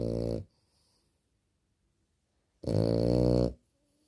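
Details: Small French Bulldog snoring while asleep indoors: two loud, rough, buzzing snores, one short at the start and a longer one about two and a half seconds later, with silence between.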